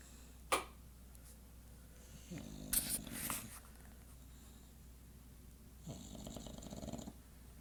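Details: An English Bulldog snoring at 2:50 in the morning: two short, raspy snorting breaths over a steady low hum, with a single sharp click near the start.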